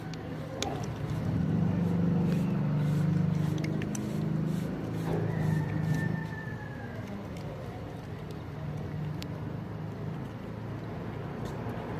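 Low engine rumble and traffic noise with a brief faint tone, no animal voice.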